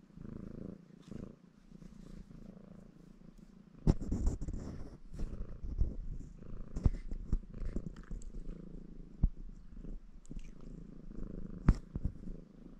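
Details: Baron, a ginger male Maine Coon, purring steadily while washing himself in a cheerful mood. A continuous low drone runs beneath repeated sharp taps and licking sounds from his grooming.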